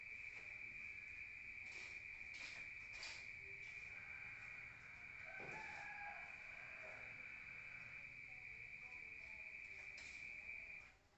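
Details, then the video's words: Rural crickets at night, heard from within a room: a steady high trill continues throughout, with scattered noise bursts and a brief, lower, drawn-out call from another animal around the middle. "Rural Nature Sound of crickets at night heard from outside"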